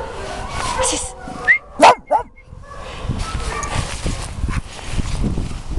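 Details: Sax, a Patterdale Terrier at RSPCA Macclesfield waiting for a new home, playing: a brief cluster of two or three sharp, high yipping barks midway, with a person's voice calling encouragement and steady rustling noise throughout.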